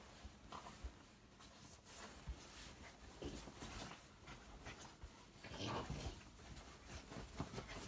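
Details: A Yorkshire Terrier stuck in a pillow case pants and gives a brief whimper amid loud fabric rustling.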